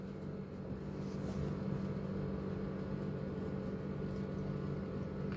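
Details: Constant engine-like hum with a steady low drone, as from a car or boat motor, and no animal calls.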